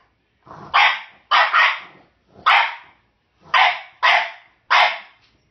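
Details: A French Bulldog gives short, harsh, gravelly barks, some in quick pairs, demanding a bone held by a Jack Russell/rat terrier.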